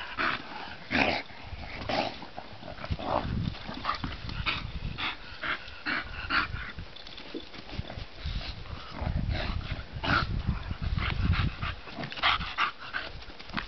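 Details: Sun-warmed bulldog Bonita playing, with throaty growls and panting huffs over a steady low rumble, bursts crowding together around ten to twelve seconds.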